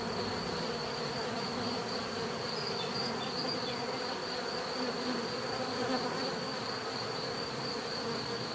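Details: Even, dense buzz of a mass of bees, layered humming tones flowing without pause, steady loudness, with a constant faint high-pitched whine overhead.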